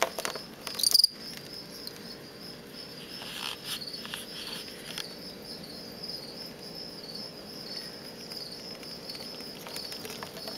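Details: A captive-bred male fall field cricket (Gryllus pennsylvanicus), from stock collected on a road verge near Lethbridge, Alberta, sings in a bin: a steady, high, shrill, gently pulsing trill. This is aggressive song used in contests between males, not calling song.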